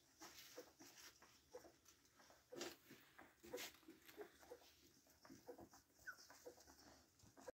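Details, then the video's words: Black Labrador Retriever puppies from a home litter of seven, four male and three female, giving faint, short, high whimpers roughly once a second, with soft rustling and shuffling noises throughout. "BLACK LABRADOR PUPS"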